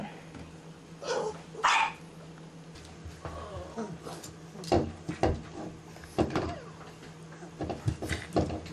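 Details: English bulldog puppy, seven weeks old, on a ranch while being washed and handled, giving several short yelping barks and yips at irregular intervals over a steady low electrical hum, with a person talking softly nearby.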